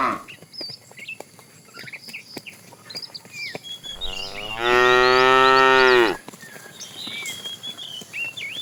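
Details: A fat, tame cow being herded with its herd in the afternoon gives one long, loud, rich moo, calling to a female, with small birds chirping around it.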